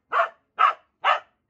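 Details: Playing Corgi giving three quick, evenly spaced barks in a row, each short and punchy, in a quiet indoor setting.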